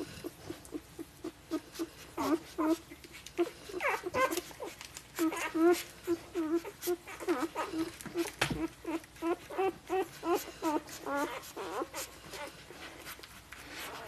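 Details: Five-day-old Golden Retriever puppies from a 2013 litter whimper and squeak in a rapid, busy chorus of short, wavering cries overlapping almost continuously, with soft rustling beneath.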